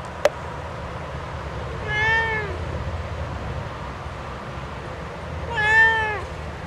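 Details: Indoor house cat complaining, jealous at being kept off the porch; two long wavering meows about three and a half seconds apart, the second slightly louder, after a sharp click at the start, with low hum throughout.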